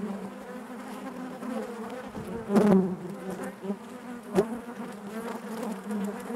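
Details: Inside a honey bee hive, a continuous low droning hum of many bees, with a sharp close fly-by swell near two and a half seconds and a short tap-like burst later.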